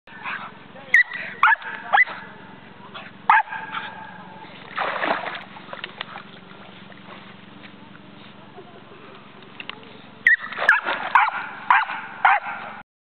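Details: Lop-eared spaniel yapping: short sharp barks in bursts near the start and a rapid cluster toward the end, separated by a quieter stretch with some splashing or rustling.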